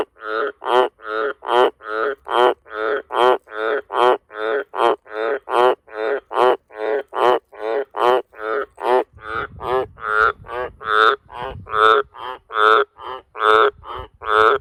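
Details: Long bout of loud calling from a wild Australian green tree frog around farm sheds at night: over thirty grating, pulsed croaks in an even rhythm, a little more than one per second, with faint low rumbling midway.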